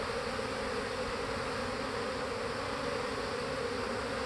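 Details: Continuous dense hum of many honey bees busily flying around a hive while practicing swarming, an even steady buzz with no breaks.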